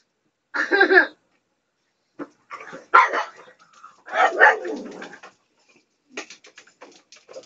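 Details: A female pug screams every night for her portion of dinner: a loud, harmonic scream followed by rough, breathy squeals and snorts while begging for food.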